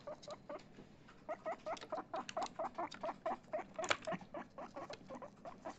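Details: Chip the pet guinea pig, excited, starts with a few scattered squeaks, then settles into a crisp, evenly timed string of short squeaky notes at about four per second, with one louder sharp note near the end.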